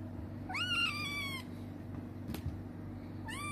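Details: Rescued black kitten, found on a fishing trip and now with an older man, gives two high meows: a long one that rises then slides down, and a shorter one near the end, over a steady low hum.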